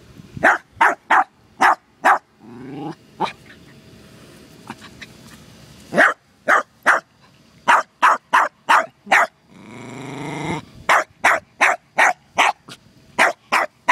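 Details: Terrier named Costello reacting to a turtle in the yard, firing sharp barks in rapid bursts of three or four, broken by two drawn-out rasping growls and brief quieter stretches.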